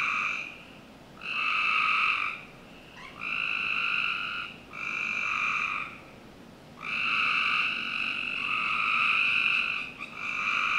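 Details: Backyard frogs trilling on a summer night in Northern Virginia. About seven harsh, buzzy bursts of roughly one second each come at uneven intervals, sometimes overlapping, over a faint steady background hiss.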